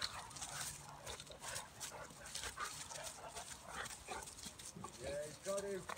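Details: Bulldog/Staffy cross and a Cane Corso wrestling in play; dense scuffling and snuffling noises throughout, with short, tonal whining cries rising near the end, and faint human voices in the background.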